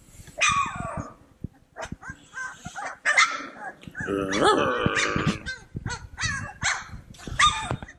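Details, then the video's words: A bunch of playful Cane Corso puppies mixing high falling yelps, sharp little barks and a rough, buzzy puppy growl near the middle, with short squeaks scattered through the scuffle. "Bunch of Yipping Puppies!"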